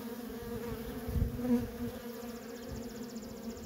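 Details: Busy worker honey bees at a feral colony, a continuous hum with a louder close fly-by near the middle and a faint high whine toward the end.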